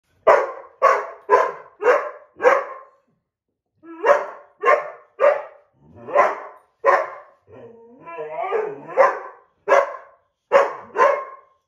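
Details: White boxer named Ridgely and an older black Lab mix indoors arguing over a coveted window seat; loud sharp barks in quick bursts of five, a pause, then more barks with a growly grumbling stretch near the end.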